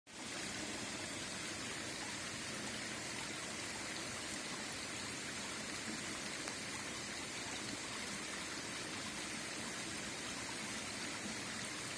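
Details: Steady, even rushing of flowing water like a stream fills the recording throughout, with no animal voice heard.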